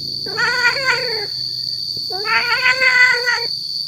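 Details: Tomcat calling to draw in female cats: two drawn-out, quavering caterwauls, each roughly a second long with rich overtones and a slight upward bend, separated by a brief gap, with a constant high tone in the background.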